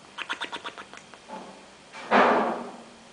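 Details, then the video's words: Oliver, a bulldog, snoring in a style likened to a Simpsons character: a quick run of about eight rattling pulses, then a loud, breathy snort that fades out. "Oliver roncando Simpson's Style / Bulldog snoring like a Simpson's character"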